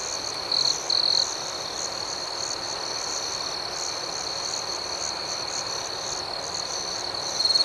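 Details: At night, crickets keep up a steady piercing trill overlaid with fast rhythmic chirping. Short louder bursts come near the one-second mark and again at the very end.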